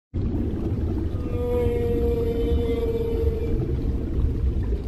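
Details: A mother humpback whale sings to her calf, a long, steady, mournful moan rich in overtones over deep underwater rumble.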